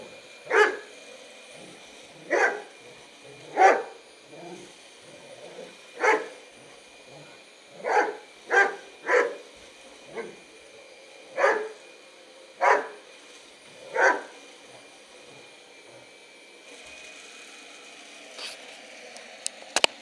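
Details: Bernese Mountain Dog Bearne objecting to the vacuum cleaner with a dozen irregularly spaced loud barks, some in quick pairs, over a steady hum; a few clicks and knocks near the end.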